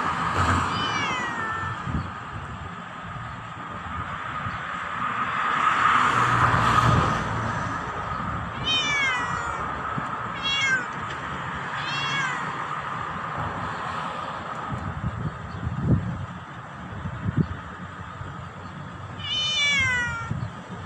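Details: Black cat meowing loudly at its owner: a short opening meow, then a run of four quick descending meows about a second apart, and a final falling meow near the end, with some rustling and low hum.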